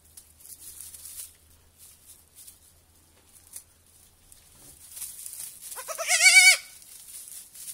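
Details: A young goat kid on its first evening at a petting farm gives one loud, wavering bleat that rises then falls, after faint shuffling and soft earlier noises.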